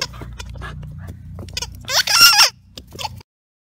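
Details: Two-year-old Welsh Terrier Stanley, staying at Wire Fox Terrier Rescue Midwest, romps with his favourite big blue ball: soft scattered huffs build to one louder, drawn-out, strained whine-growl lasting half a second, then a brief snort.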